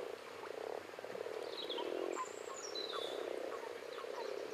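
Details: A chorus of common frogs (Rana temporaria) gives low, soft purring croaks in short overlapping bursts, while thin bird whistles and chirps sound over the top.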